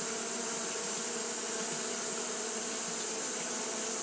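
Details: Short stretch of Japanese honey bees fanning on a hot day: an even droning buzz with layered harmonics, steady from start to end, over a bright continuous hiss.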